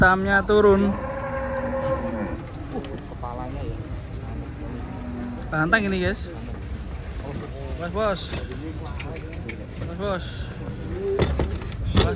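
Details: Large cattle being unloaded from a truck give a loud, drawn-out bellowing moo at the start, followed by people talking over a low background rumble and occasional knocks.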